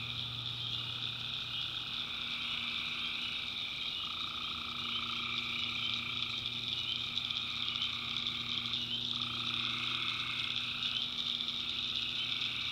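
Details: Tree frogs calling at night in the backwoods of North Carolina, a dense unbroken chorus of layered high trilling at several pitches, one mid-pitched band dropping out and returning midway, with a low steady hum underneath.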